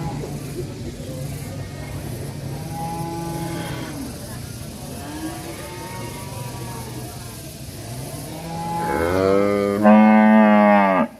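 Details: Angry cattle in an Indonesian village cowshed: soft arching moos through the first nine seconds, then a loud, harmonic-rich bellow near the end that rises and holds steady, with faint background hum.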